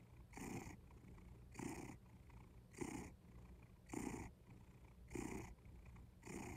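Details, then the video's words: Cat purring steadily, a low rumbling throb with each breath cycle swelling about once a second, the louder exhalations alternating with quieter intakes, close and indoors. "Kitty Purry"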